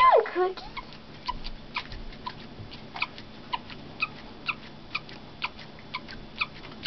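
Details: Pet guinea pig named Cookie chirping indoors: a steady series of short, high, thin chirps repeated roughly every half second, preceded by a brief squeak at the start, with a quiet background hum.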